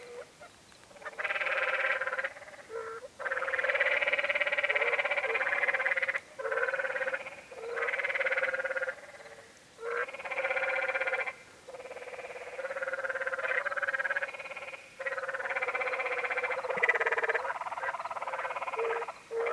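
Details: Chorus of canyon tree frogs on the Many Pools Trail, Zion National Park, Utah: nearly continuous overlapping nasal, pulsed trills, each lasting one to three seconds, with barely any gaps between callers.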